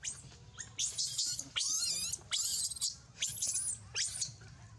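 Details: Baby monkey named Rainbow crying loudly: shrill, high-pitched screeching cries in about six bursts, some wavering and drawn out, others short, separated by brief pauses over a low background hum.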